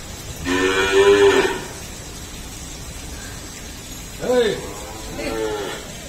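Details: A Jafarabadi dairy buffalo, nine months pregnant, at an Indian farm: one long, strong moo of over a second, then two short, lower calls about a second apart, with a steady background hum.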